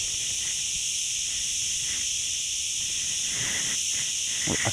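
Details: Crickets in a shaded forest along the road between Ghafsai and Ourtzagh, Taounate province, Morocco: a steady, dense high-pitched shrilling chorus in layered bands, with faint soft thuds underneath.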